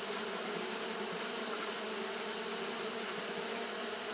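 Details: A short stretch of Japanese honey bees fanning in the heat: an unchanging, busy buzz of mingled low hums under a steady, shrill hiss.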